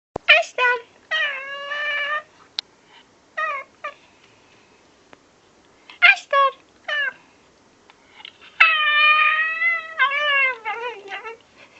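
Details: A Pekingese puppy "talks" in drawn-out, wavering whines and yowls, with short yips in between; the owner thinks it is trying to say "hello"; Pekingese.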